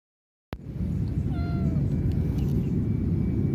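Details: Stray kitten being petted gives a single short, thin mew of under half a second, level then slightly falling, with clear harmonics, set against a steady low rumble of handling or wind noise.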